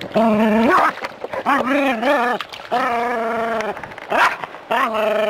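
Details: Jack Russell terrier living in a city, confronting a non-venomous rat snake; drawn-out, yowling barks with a steady mid pitch, each held about half a second to a second, some rising at the end, separated by short gaps and snuffling.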